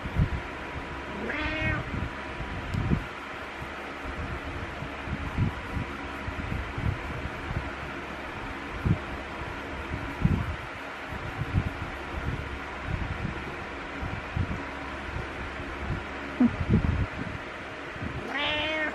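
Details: Butters the cat meowing to wake the owner in the morning; one meow near the start and another at the very end, separated by a long stretch of soft thumps, rustling and steady fan-like hum.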